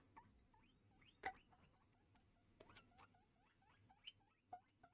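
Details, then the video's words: Female pet guinea pig indoors squealing loudly after realizing lettuce is in the room; a run of short rising whistled squeaks, several per second, with tapping and handling noises. "And if you can hear my guinea pig, I don't know if the microphone will pick up her audio or not. She is screaming her head off right now because"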